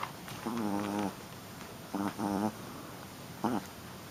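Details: A female Shih Tzu puppy in rough play lets out a drawn-out, wavering whine-growl, then two quick grumbles and a final short squeak, with quiet pauses between them in a small indoor room.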